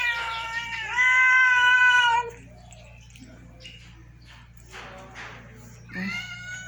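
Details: One of several pet cats eating rice: a loud, drawn-out meow lasting about two seconds, then a quiet gap with faint voices, and a second shorter meow near the end, over a steady low hum.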